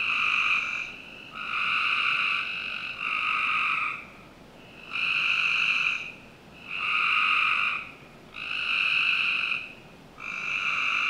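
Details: Summer-night frogs in a Northern Virginia home's backyard give rhythmic, rasping trills, each about a second long, in a regular sequence of six to seven bursts with short pauses between.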